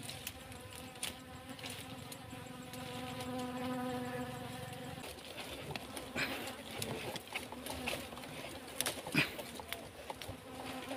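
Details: Honey bees near a farm plot behind a cassava field while their honeycomb is being taken: a steady low droning buzz with stacked overtones for about five seconds, then scattered clicks, knocks and handling noises.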